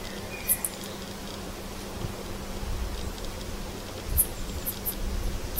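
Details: Garden katydid's night-time call: sparse, sharp, high-pitched ticks over a steady low hum.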